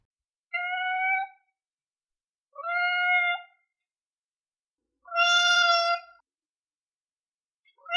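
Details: Domestic cat meowing loudly, one of various cats in a compilation: three clear, tonal meows about two seconds apart, each under a second long and slightly drawn out, with silence between them.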